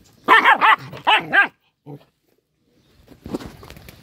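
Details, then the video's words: An angry small dog lets out a quick run of loud, high, rising-falling barks, one short yip, a pause, then faint rustling noise. "A little dog gets angry and screams ho ho"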